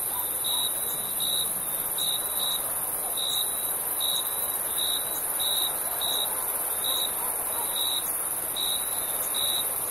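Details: Summer crickets at night, giving regular short chirps roughly every second against a constant high-pitched insect drone and soft background hiss.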